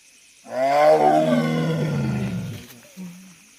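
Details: A tiger gives a powerful roar that starts abruptly, peaks early, then trails off in a lowering, harmonic growl over two seconds, followed by a brief low rumble at the end.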